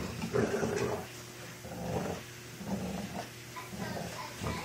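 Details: Four-year-old American bulldog Senna and a new two-month-old Boston terrier Shaq in a dog fight: rough, low growling bursts rising and falling in short waves, with brief snarly peaks between quieter breaths.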